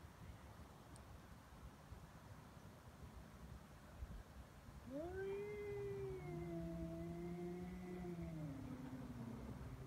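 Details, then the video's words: Feral cats fighting on Japan's Cat Day, February 22, in a threat standoff: after several seconds of quiet hiss-like background noise, a single long, sustained moaning yowl starts and slowly bends downward in pitch. "猫の日ガチ喧嘩「威嚇で相手が引かない噛みつきや猫パンチに発展」野良猫 Cat Fight"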